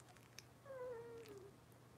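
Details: Cavalier King Charles Spaniel puppy from Robin's litter, indoors on a morning kitchen camera: one drawn-out tonal whine, steady and then sliding gently downward over about a second, with faint harmonics above and a low steady hum beneath.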